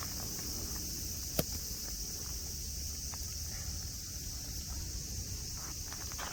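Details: Cicadas keep up a level, high-pitched hum at Nara Park, Japan, around friendly deer; a sharp click sounds early on, and faint footsteps and low background rumble accompany the drone.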